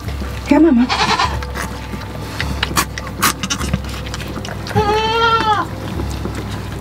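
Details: Nigerian Dwarf goat doe during an unassisted birth of twins on a farm; a short low grunt early on, then one drawn-out wavering harmonic bleat near the end, under continuous background music.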